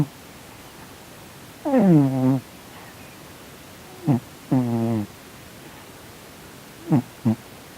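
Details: A male Korean shorthair cat named Sonny, snoring and twitching in his sleep, as if dreaming badly; low, buzzy voiced murmurs, two longer ones near two and five seconds, then two quick grunts, in a quiet indoor setting.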